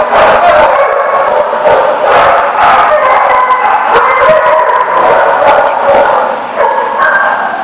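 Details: Many dogs barking together in a dense, overlapping chorus at a place called The Barking Lot on 7 July 2014; sharp barks and yips pile up continuously with no pauses.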